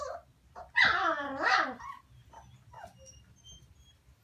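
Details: A Maremma-Abruzzese Sheepdog puppy gives a high, wavering whine lasting about a second, then fainter yips.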